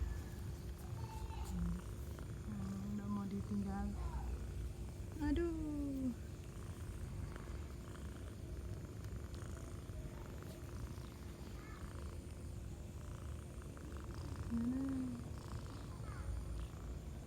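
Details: Affectionate village cat purring: a low continuous rumbling purr throughout, with a woman speaking softly and a few short high squeaky mews or whistles over the top.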